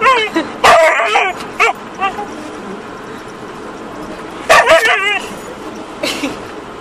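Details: Diesel the husky chasing and attacking the rear window wiper from inside a car, giving short bursts of wavering, whiny yips and yodels in two clusters, at the start and again around four and a half seconds, with rustling between.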